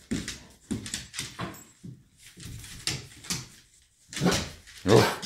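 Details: A 1½-year-old golden retriever indoors at home barks at a rocking horse he treats as an intruder: short, rough bursts, a quick cluster, then pauses and two louder barks near the end, with a woman speaking nearby.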